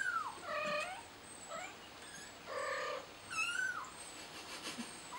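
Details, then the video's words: Frightened kitten calling out for its mother: loud, plaintive meows, the first sliding downward and then two rich, harmonic cries about two seconds apart, with a whistled note and faint high chirping nearby. "Scared Kitten Calls Out For Its Mommy"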